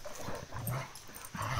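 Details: Rottweiler Toro, about 50 kg, tussling with D'Arcy, a Cane Corso of similar weight, in a battle of will and brawn; low, rough rumbling growls come in two bursts with a short pause between them.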